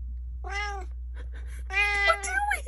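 A Siamese cat gives two meows, a short one and then a longer, drawn-out one.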